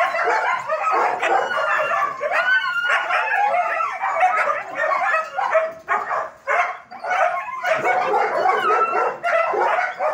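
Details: Many German Shepherds barking at a dog training academy, a continuous rough chorus of overlapping barks and occasional yelps, thinning briefly near six seconds before building again.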